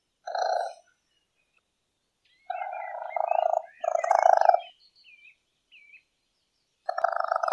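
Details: Raccoon at night making short, croaky, buzzing trills of low, steady pitch in several separate bursts, with faint high chirps and whistles between them.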